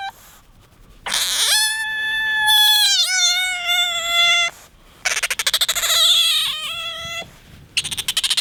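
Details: Attention-seeking pet otter Bingo squeals in long, steady, high whines, the first held over three seconds with a slight dip in pitch, then a second stuttering, pulsing squeal after a short pause.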